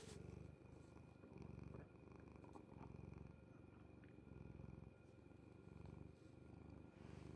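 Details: A domestic cat purring while asleep on its owner's bed, a steady low rumble pulsing in breaths roughly every second and a half, with faint soft clicks above.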